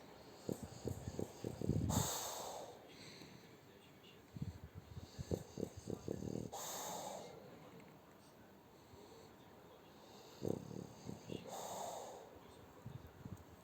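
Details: French Bulldog Shturm asleep under its owner's arm, breathing noisily: loud rasping snorts at uneven intervals of two to four seconds, with soft low grunting rattles between them in a quiet room.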